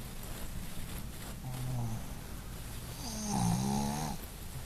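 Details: A female Boston Terrier snores in two low, rumbling breaths, the second longer and louder.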